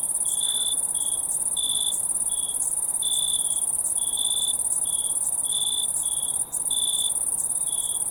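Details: Night crickets, one keeping up a continuous piercing high trill while another repeats short lower chirps in uneven bursts, about a dozen across the stretch.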